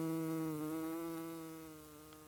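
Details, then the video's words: Bee buzzing while pollinating flowers: a steady, low droning hum with a rich stack of even overtones, wavering slightly in pitch early on and slowly fading as if the insect drifts away. "The Buzzing Sounds of Bees"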